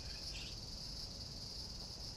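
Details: Crickets heard outdoors in summer in Japan, on the way to a supermarket: a faint, steady, high-pitched shrill band runs unbroken throughout, over a low background rumble.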